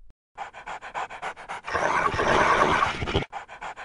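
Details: Pet dog wearing an anti-slobber device, panting in steady rhythmic huffs about two or three per second. A louder rough, noisy breathing burst fills the middle, then even panting resumes.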